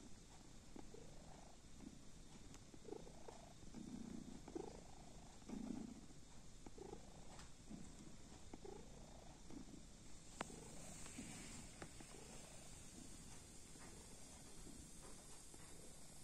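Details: Kitten asleep, its quiet purr rising and falling in regular breathing cycles over a low background hum, with a brief scratchy rustle partway through.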